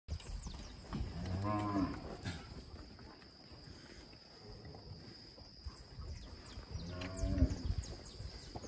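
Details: Young Nelore and Aberdeen-cross bull calves being reared give two deep, harmonic moos, the first early and the second near the end, separated by a quieter stretch of rustling and a steady high whine.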